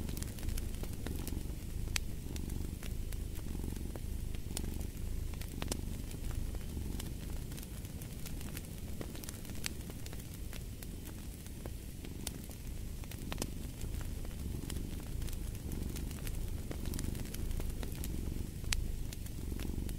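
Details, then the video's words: Domestic cat purring steadily as a low, continuous rumble. It swells and fades in slow breath cycles about once a second, over the sharp pops and crackles of a fireplace. "Fall asleep to the Purring of a Cat"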